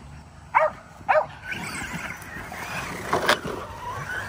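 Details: Kerry Blue Terriers, five of them, being exercised at home with an E Revo remote-control car; two quick barks open, followed by a whining electric motor and rattling vehicle noise with a loud burst.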